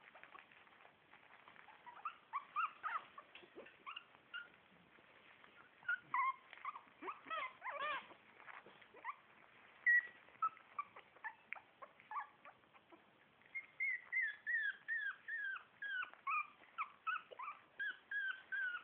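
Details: Four-week-old Shih Tzu puppies from one litter: many short, high squeaky whimpers and yelps in uneven bursts, thinning in the middle, then a fairly regular run of rising-falling squeals near the end.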